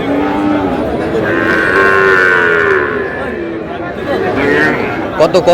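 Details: At a livestock market on 19 May, Sahiwal bull calves call while a farmer from Dhaka haggles: a long, wavering low moo swells in the middle, surrounded by people talking, with a few sharp knocks at the end.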